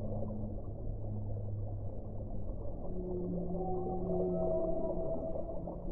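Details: Whale song with long, low, steady moans forming layered harmonic tones, higher drawn-out notes joining partway through over a constant underwater rumble.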